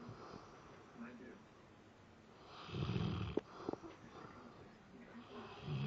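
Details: Sleeping Labrador Retriever, apparently dreaming or having nightmares with twitching eyes, gives a deep, rumbling snore while people talk quietly nearby.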